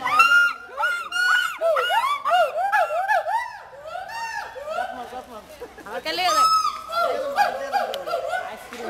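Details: Hoolock gibbon (ulluk) in Mirpur Zoo, Dhaka, calling continuously in looping, up-and-down hoots that swell and fade, with a brief burst of higher, sharper notes around the middle.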